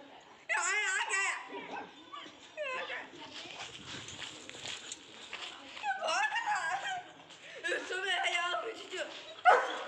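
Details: A German Shepherd at play with a street dog: bursts of high, wavering whines and yips come in short bouts at the start, middle and end, with human voices talking over and between them.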